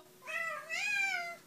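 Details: Cat saying hello with one soft, two-part meow, first dipping and then rising into a sustained tone of just over a second, heard quietly indoors between a person's hellos.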